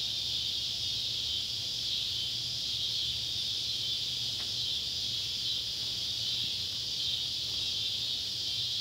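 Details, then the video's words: Summer sunset in Ballard County, Kentucky, on July 31, 2013, beside an old tobacco barn: Neotibicen pruinosus and Neotibicen tibicen cicadas sustain a dense, shrill buzzing wall of sound without pauses, over a soft low hum and one faint click. "Kentucky barn with sunset light and cicada sounds"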